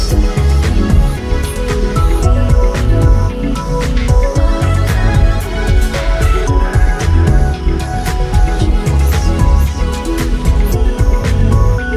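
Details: Continuous loud background music with a deep bass line and layered instruments; no animal heard.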